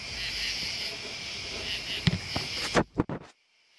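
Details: Continuous high, buzzy trill of crickets and bugs holds evenly for nearly three seconds, then thumps and handling noise interrupt before the sound cuts out to silence.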